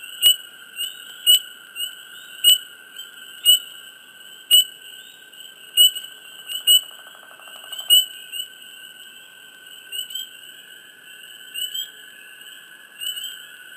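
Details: Frogs in a hushed swamp give crisp, clicky high chirps roughly every second, then more sparsely, above a continuous shrill whining chorus, with a brief lower buzzing burst midway.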